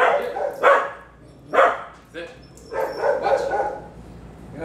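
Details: Barking dogs near a 3-year-old Bulldog mix during a private obedience training session; sharp, loud barks come in bursts about once a second, then a longer rough run of barking, with faint background noise.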